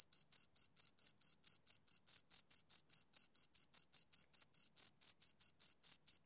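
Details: Pair of crickets stridulating near the microphone, producing shrill, clean chirps repeated in a fast regular beat of about four pulses each second, nothing else audible.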